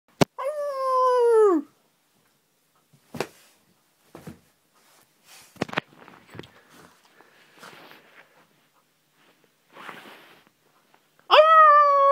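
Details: Little Shih Tzu puppy howling to greet its owner returning home, recorded indoors on a phone: two bright, harmonic howls that start high and drop steeply, one at the start and one at the end, with soft whimpers and shuffling between.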